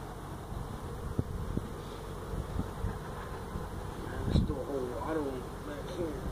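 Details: Feral honey bee colony nested inside a stack of tractor tires at a citrus orchard in Mission, Texas, heard during hive removal: a steady, low droning hum throughout, with a man's voice speaking near the end.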